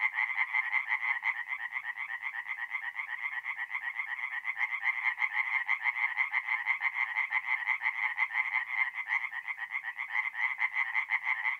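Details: Tree frogs calling together at night from a forest pond in North-East Italy during mid-April; steady rapid pulsed croaking, about two pulses a second standing out over a continuous rattling chorus.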